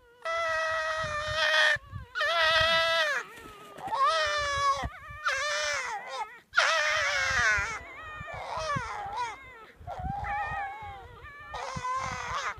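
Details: Foxes fighting in winter at Zao Fox Village, Japan: a run of about seven loud, wavering, nasal wails, each roughly a second long, rising and bending in pitch, separated by short gaps, with faint rustling beneath.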